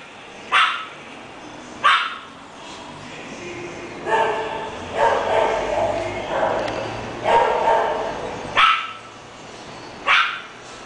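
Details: English Bulldog giving single sharp barks spaced a second or more apart, with a stretch of softer, voiced, speech-like sound in the middle and quiet background between barks.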